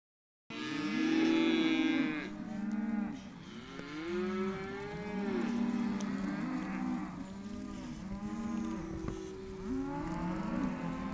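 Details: Hereford calves, male and female, penned together as an auction lot, bawling continuously in overlapping chorus; many rising-and-falling moos from several animals at once, with a brief quieter gap near three seconds.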